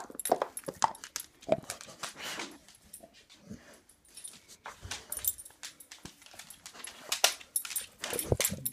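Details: Dog making pig-like noises while chewing on an antler indoors; rough, snuffling snorts and grunts come in irregular bursts, mixed with clicks and crunches of gnawing.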